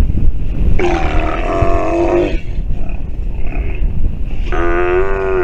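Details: Sea lion pup calling while nursing: two drawn-out, harmonic bleating cries, the first about one and a half seconds long and the second rising and wavering, over steady low rumbling noise.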